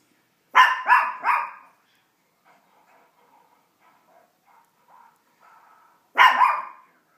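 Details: Indoor female Chihuahua reacting to animals and cartoons on TV: a quick burst of three sharp, rasping barks, quiet television audio, then one more loud bark near the end.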